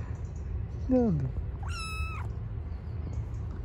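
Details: Stray cat living on the street, being fed: one short falling meow, then a higher, steady, drawn-out meow, over a constant low street rumble.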